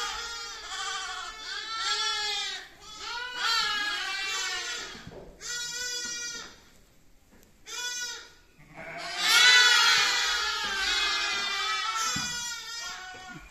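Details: Young lamb bleats come in bursts of wavering, nasal cries separated by short silences, with several calls overlapping. The loudest outburst rises near the end before fading into further bleating.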